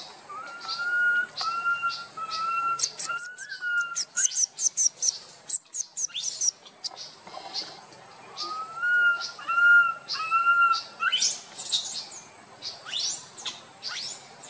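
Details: Little monkey Boston wandering with his group and crying loudly: repeated tonal whistled wails in runs of three or four, interspersed with rapid high-pitched squeaks and chirps from other callers.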